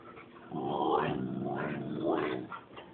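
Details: Coda, a female pet husky recovering from a hit-and-run car accident, vocalizes indoors because she wants to go potty: a wavering, talky whine that rises and falls in two swells, with a person's voice nearby.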